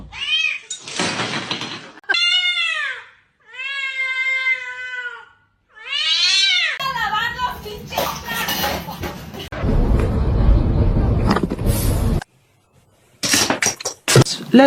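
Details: Domestic cat meowing four times in a row, each call long, clear and arching, about a second apiece with short gaps, followed by loud rustling noise, voices and brief screaming.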